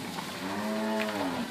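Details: Mixed herd of Inverland and La Florida cows in March 2014, some with calves and others pregnant. One steady, drawn-out moo rises gently and falls again over about a second, with rich even harmonics.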